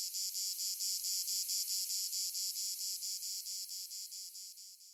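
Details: Grande cigale commune (Lyristes plebejus) in Provence garrigue in summer, taking up its love-call song again on another tree: a dry, very high buzzing chopped into rapid, regular pulses, steady, then slowly fading toward the end, with nothing else heard.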